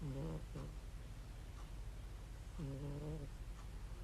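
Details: Sleeping domestic cat, looking happy, snoring: two low, rumbling, harmonic breaths about two seconds apart, the first broken into two short pulses, over a quiet background.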